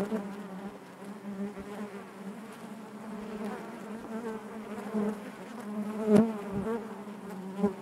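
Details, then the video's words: Steady low buzzing of many honey bees in the hive, a rich layered drone with rippling overtones, broken by short sharp bursts as individual bees pass near, one especially loud after six seconds. "bees therapy hive natural buzzing sound"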